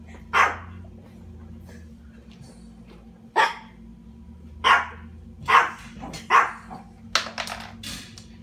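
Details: Six-month-old German Shepherd puppy, indoors, fetching his own treats from a storage cube: six sharp, loud single barks spaced about one second apart, with a short burst of quick yaps at the end and a faint steady hum behind.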